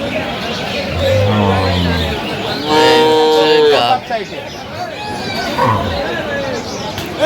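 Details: Improved-breed dairy cows and calves at Aftabganj cattle market, Dinajpur, on 21/10/25: men bargaining in the background, then a loud, drawn-out moo of about a second with rich even harmonics, followed by more talk.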